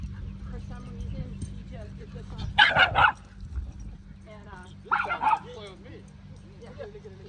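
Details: Penny, a dog on her first outing to the dog park, lets out two short bursts of barking about two seconds apart, between softer whines, while people chat in the background.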